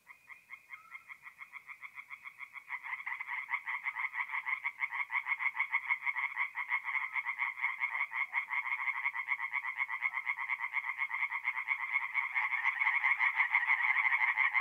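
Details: Several tree frogs sing by night at a forest pond in north-east Italy, mid-April. Their fast, rattling pulsed croaks overlap into a continuous chorus that grows louder and denser toward the end.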